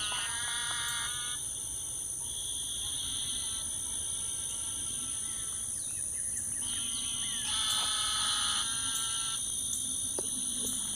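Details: Frogs calling at Lake Houston Nature Park, Houston, Texas, around 8 p.m., at different pitches: pulsed, harmonic trills lasting one to two seconds, repeated in bursts, over a steady high insect drone.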